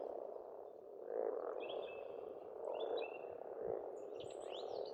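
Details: Frog chorus at a pond on an Estonian farmstead in spring: a dense, steady croaking hum that swells around the first and third seconds, with thin high bird chirps and twitters scattered above.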